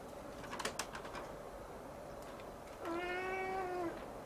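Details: Young Siamese cat gazing at the ceiling gives one long, steady meow near the end after a stretch of quiet room noise and a few soft knocks and rustles.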